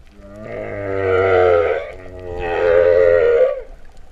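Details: Two long, rich mooing moans from a singing humpback whale underwater at Vava'u, Kingdom of Tonga, September 2015, each swelling and fading over about a second and a half, with a slight rising slur at the end.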